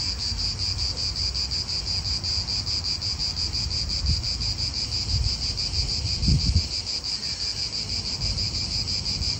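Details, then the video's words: Steady high-pitched cicada drone in an Italian park, pulsing evenly without pause, with gusts of wind and low traffic rumble beneath, briefly louder around six seconds. "italian park ASMR Cicadas wind real atmosphere in an Italian park birds"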